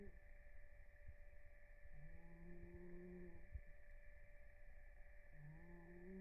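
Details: Blue, a rescued cat napping and snoring in REM sleep, makes soft, drawn-out tonal snore notes about a second long. They recur roughly every three seconds over a steady background hum.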